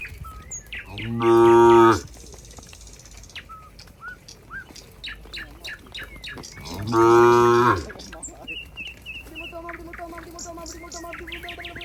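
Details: Cows at a countryside barn with a cowherd walking near: two loud, even moos about five seconds apart, each lasting under a second, with bird tweets throughout and a steady buzzing tone near the end.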